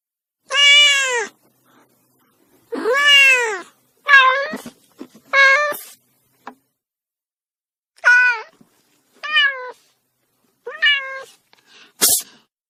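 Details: Kitten crying repeatedly, around nine meows, the first two long and loud with a rising-then-falling arch, later ones shorter and thinner, separated by pauses, ending with a brief sharp click.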